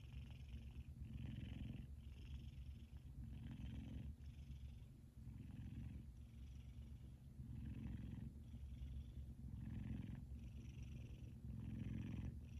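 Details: A male F2 Savannah cat, sleeping and twitching, purrs loudly: a deep rumbling drone that swells with each breath about every two seconds.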